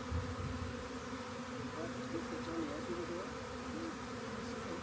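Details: Honey bee swarm, found by the rain gauge and being collected into a box by hand: a steady, dense low hum with layered tones, a few wavering higher notes drifting through midway, and faint handling noise.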